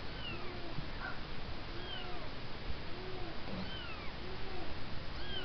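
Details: Several kittens give thin, high meows, each a short rising-then-falling cry, repeated roughly every second over a steady background hiss.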